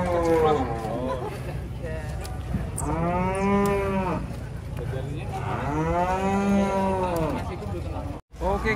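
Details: Jumbo cattle unloaded from a truck at Jelok market, Indonesia: two long, loud moos about three seconds apart, each a sweeping harmonic arch lasting over a second, with steady engine rumble beneath.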